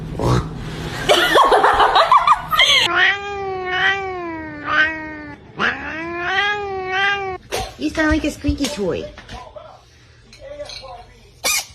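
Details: Domestic cat yowling in long, drawn-out, wavering calls that bend up and down, several in a row, with people talking and laughing before.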